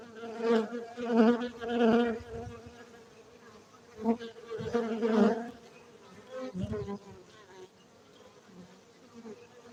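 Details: Domesticated honey bees at a honey farm in Bener Meriah, Gayo, Aceh, Indonesia; pulsing buzz with repeated loud swells early on, then a quieter, steady hum.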